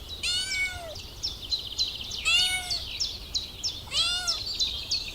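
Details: Kitten stalking and chasing butterflies on the grass gives three drawn-out meows, each sliding downward, spaced roughly two seconds apart, while high, bright bird chirps twitter continuously above them.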